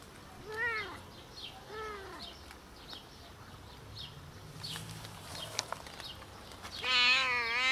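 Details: Homeless cats, one of four scared strays eating offered food outside, utter two short arched meows early on, then a louder, wavering, drawn-out meow at the end, with rustling in between.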